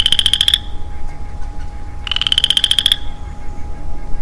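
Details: Lonely male Western Chorus Frog in woodland in early spring, giving two rising, rapidly pulsed creaky trills about two seconds apart, each under a second long, over a low steady rumble.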